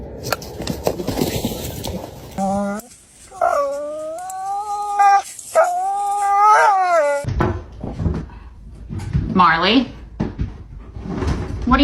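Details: Pet dog named Marley, indoors, playing a stick game with its owner: drawn-out, wavering whine-like calls rising and falling over several seconds, preceded and followed by people talking.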